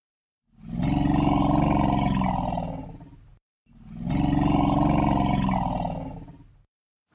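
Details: An elephant gives two long, deep rumbles, each about three seconds, separated by a brief pause; the rumble resembles a cat's purr in frequency range.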